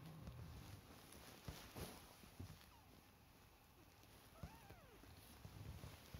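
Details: Three-week-old British Shorthair Chinchilla kittens give a faint, thin mew with a bending harmonic arc about two-thirds through, set against low rumbling handling noise and soft thumps.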